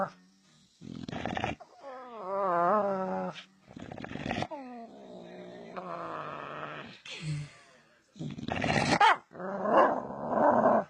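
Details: Domestic dog making weird sounds: wavering, harmonic whine-like yodels and moans that bend up and down in pitch, broken by rough growling bursts and short breathy grunts, in uneven bouts over about ten seconds.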